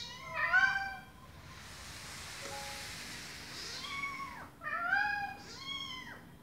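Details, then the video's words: Mom cat calling to her baby kittens: a loud drawn-out meow, a quiet hissy gap, then two more downward-bending meows close together. "Mom Cat Talking to her Meowing Baby Kittens"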